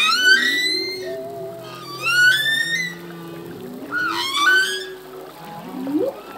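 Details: Humpback whale song from a male: bright harmonic whistles climbing in pitch, repeated in short bursts, over a long sustained low tone and a brief rising grunt near the end.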